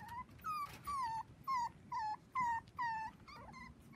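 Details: Dachshund puppies four weeks old at play on a trampoline with kids, seven pups in all; short, high whining whimpers, each slightly falling in pitch, come in a steady series of about seven over four seconds.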